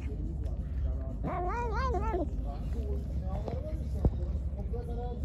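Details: Hungry pregnant stray cat, angry while being given food, gives one short arched meow lasting about a second amid a person's speech and a single sharp knock.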